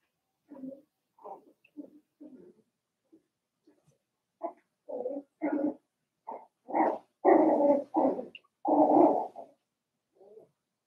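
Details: Litter of four-week-old Cavalier King Charles Spaniel puppies in a pen: a run of short yips and growly whines that grow louder and longer, ending in drawn-out squealing cries and a soft final whine.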